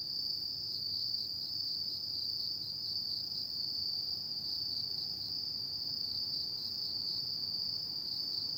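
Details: Steady shrill chirring from autumn insects after dark, a constant high-pitched band with gentle fast pulsation and even loudness, no pauses, no other voices or noises standing out.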